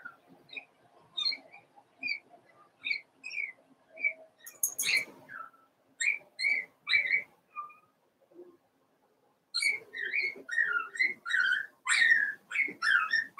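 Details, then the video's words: Litter of four-week-old Cavalier King Charles Spaniel puppies, Daisy's, in their pen, whining almost nonstop: a rapid string of high squeaky squeals and wavering whines, a brief pause, then a louder, denser run of overlapping cries. "Daisy's Cavalier Puppies Livestream: 4 weeks old"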